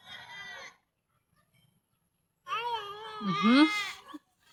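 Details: A goat being fed bleats twice: a short nasal bleat, a pause of nearly two seconds, then a longer, louder wavering bleat with a brief rising squeal overlapping its middle.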